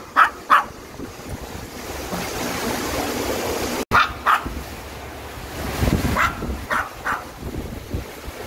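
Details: Maltese dog Dubu barking beside the stream at Buryeong Valley, Uljin, South Korea: paired sharp yaps, a pause, then another run of barks, over continuous rushing water.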